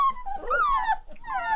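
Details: One-month-old Rottweiler puppies in a small pack howling: a steady high note slides into an arched, falling wail, a short pause, then another long descending howl with strong overtones.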